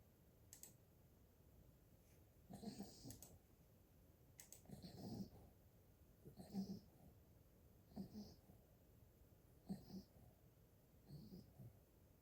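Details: An 8-week-old Golden Retriever puppy snores softly, each breath a low rumble with a faint wheezy hiss.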